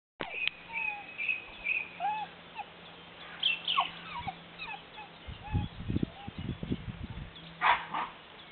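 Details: Pyrenean Mountain Dog puppies, known as Patou, from a 2011 litter of Didji and Hluca. Thin high squeaks and short curving whimpers come and go, with soft rustling and thumping handling noises in the background.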